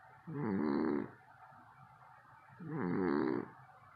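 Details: Sleeping cat snoring loudly enough to keep people awake, two raspy, buzzy breaths about a second long separated by a brief quiet gap, in a calm indoor setting.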